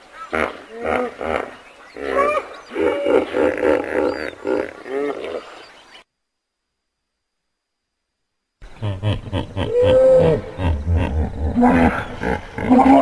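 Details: Hippopotamus calling in rapid pulsed bursts of deep, harmonic grunts, about one per second, breaking off into a silent gap before a second run of honking grunts with some rising, wavering tones.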